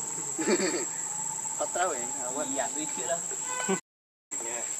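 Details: Hungry baby monkey Leo, also called Rainbow, cries to beg its mother for milk: wavering, whiny harmonic wails rising and falling in quick bursts, over a constant high insect whine, with a brief gap of silence near the end.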